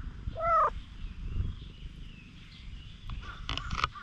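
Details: Timid stray cat that wants contact with people lets out one short, clear meow near the start, followed by quiet rustling and a brief burst of noise near the end.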